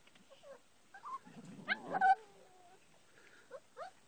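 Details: Puppies playing with and pestering their mother, who hides on top of the doghouse; short high whimpering yelps and squeaks, a louder cluster of cries midway, then scattered soft squeals, with a man talking nearby.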